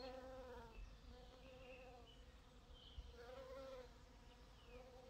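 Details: Bees at purple dead-nettle (Lamium purpureum) give a continuous humming drone whose pitch wavers slightly up and down as they move between blossoms. Faint high chirps sound in the background.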